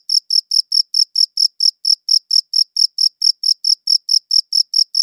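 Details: Crickets give a fast, regular series of sharp, high, trilling chirps, recorded on a good audio recorder; every chirp is a short bright pulse with silence in between and no background noise.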